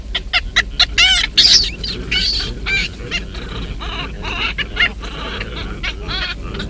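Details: Baboons in Kruger National Park, where a huge male protects his troop from an intruder baboon: rapid bursts of harsh, wavering screams with bent, rising and falling tones, roughly two per second and overlapping, over a low rumbling background.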